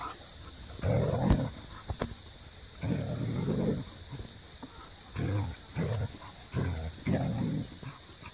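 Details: Siberian husky named Maya, vocalizing at Jo, an Australian cattle dog or blue heeler, to get off a play set and come play. Low, grumbling, growl-like bursts come in four spaced runs with a steady high hum behind.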